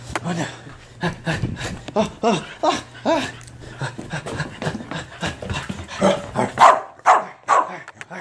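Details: Corgi in the bath with a quick, irregular string of short yelping barks and panting sounds, human voices mixed in and a faint low hum through the first half.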